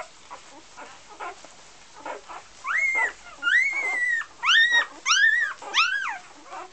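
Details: Golden Retriever puppies from the A litter of Great North Golden in Iceland, sired by Josh out of Gabriella: soft murmurs at first, then high arched whines rising and falling, roughly one every half second, several pups overlapping.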